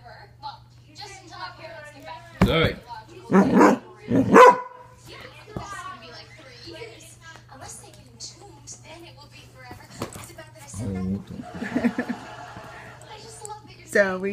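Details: Ornery Basset Hound: three loud broad barks close together early on, then scattered lower yelps and grumbles, with a person repeatedly saying no and a steady low hum underneath.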